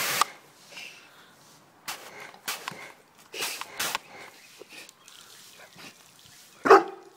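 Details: Cane Corso facing a mini wash; scattered scuffling and short noise bursts, then one loud, sharp bark near the end.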